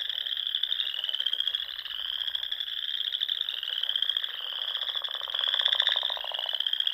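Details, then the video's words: Dusk chorus of frogs at Sandhills ponds in Nebraska during spring; high continuous trills overlap with fast rattling pulses, one louder burst near the end. "RELAXING SOUNDS OF FROGS"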